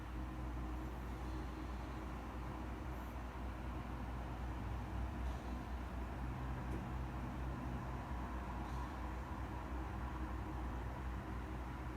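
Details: Steady low rumbling noise, like distant traffic or machinery, continues evenly throughout without any clear animal call.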